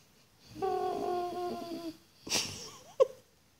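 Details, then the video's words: Penny, a very vocal and comical puppy who talks to her household all the time, gives a steady harmonic moaning note for over a second, then a breathy rush of sound and a short sharp yelp, indoors. "Penny Talking..."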